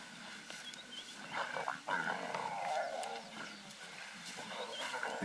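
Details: Pride of wild lionesses tearing at a freshly killed zebra in Greater Kruger National Park during the 2018 dry season; rough, noisy snarling bursts rise and fall, loudest around the middle, with tearing and scuffling between them.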